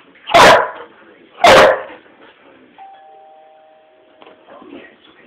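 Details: Old English Sheepdog having a mad spell indoors in a living room: two loud harsh barks about a second apart, then a doorbell-like two-tone chime and quiet room sounds.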